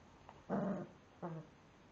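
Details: Staffordshire Bull Terrier pup confronting a frozen raspberry lets out two short, low, throaty grumbles, the first longer, over quiet room hiss.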